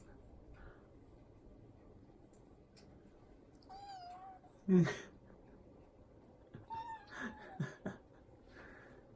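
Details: Affectionate house cat Odeko, a frequent talker, meows twice: a short, level, tonal call, then a sharp thump, then a longer meow that starts higher and trails off into a few quick broken notes.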